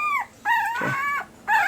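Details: Week-old red/sable male Pembroke Welsh Corgi puppy from an AKC April 2020 litter whines in long, level, reedy cries that sag at the end, two full cries and the start of a third.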